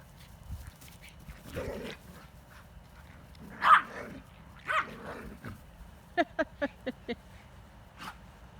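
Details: Female American Bulldog in foster care wrestling with other dogs; scattered play vocalizations, then a quick run of five short sharp barks near the end, with faint background noise.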